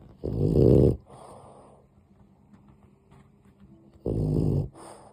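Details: Dog sleeping indoors, snoring softly: a low, rough, buzzy snore of about a second, a quieter breath after, a long hush, then another snore roughly four seconds after the first.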